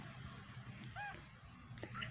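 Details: Kitten uttering a single short, high, arched mew near the middle and a fainter one near the end, against low rumbling background and Vietnamese voices.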